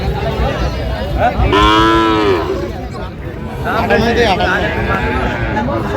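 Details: Sahiwal bull at a busy cattle market in Comilla, Bangladesh, on 9 January 2026, giving one drawn-out, harmonic moo lasting under a second amid a steady crowd murmur and voices.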